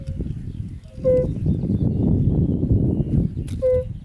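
A European fire-bellied toad gives soft, mellow 'oop' notes, a couple of seconds apart, over a low rumble.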